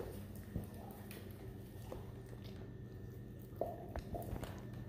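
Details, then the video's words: Weimaraner chewing on a bone indoors: soft irregular crunching and gnawing bites with a few sharper clicks, under a steady low hum. "Weimaraner chewing on bone."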